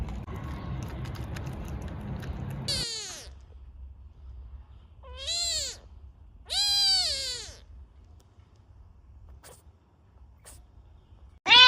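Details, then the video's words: Kittens meowing: after a noisy start, three separate high harmonic meows, each under a second, with a longer wavering one near seven seconds and a sharp cry cut off at the end, quiet gaps between. "Kittens meowing - funny cat sounds"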